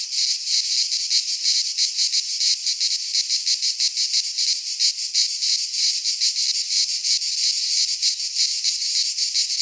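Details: Greek cicadas in a pine forest at midsummer, their high rasping drone swelling and fading in fast repeated beats, close to three each second, filling the whole stretch without pause.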